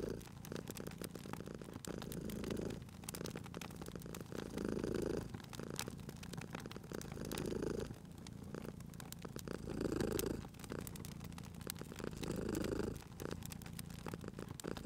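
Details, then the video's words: Sleeping domestic cat purring beside a crackling fireplace in a cozy room; low rumbling purr swells in cycles about every two and a half seconds, with sharp pops and snaps of burning wood throughout. "Cute Purring Cat at a Crackling Fireplace"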